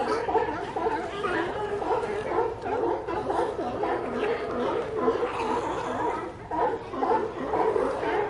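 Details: A crowded chorus of sea lions: many overlapping, rough, bleating calls form a continuous babble that swells and dips, a few louder voices standing out now and then.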